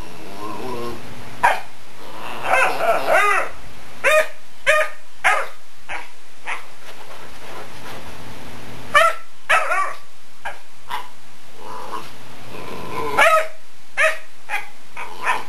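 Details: Pet dog barking and howling at fingers running across a couch; drawn-out wavering howls early on, then a run of sharp irregular barks and yips, some growly, with a low hum underneath.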